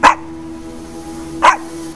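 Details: Indoor Shih Tzu said to be seeing a ghost gives two short, clipped barks roughly 1.4 seconds apart, with quiet room hum and a faint steady tone between them.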